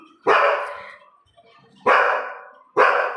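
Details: Female Labrador Retriever barking at her own reflection on seeing herself in a mirror for the first time; three sharp, loud barks, the first alone and two more close together near the end.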